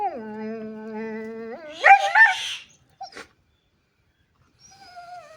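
A dog holds a sustained, tonal whine for over a second, then jumps into sharp rising yelps. After a short pause comes a brief yip and a softer, falling whimper.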